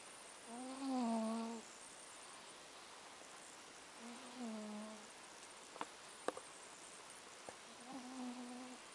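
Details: Sleeping fat house cat at Avalon Beach snores, giving three humming, gently rising-and-falling breaths a few seconds apart, with a few sharp clicks between them against quiet background hiss.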